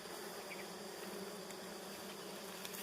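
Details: Honeybees buzzing around three very good nests: a steady, dense hum with a low drone and an overtone layered just above, unbroken for the whole stretch.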